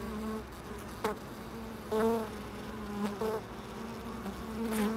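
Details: Buzzing bees at a loading dock: several short, loud passes of a rich, droning hum, each swelling and fading within a second over a low steady background rumble.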